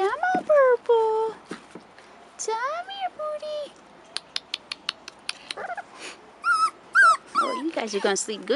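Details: Rottweiler pups aged 4.5 weeks, first time outdoors, whimper and whine almost continuously in bending, up-and-down tones, mixed with crisp ticking clicks and a burst of overlapping squeals at the close.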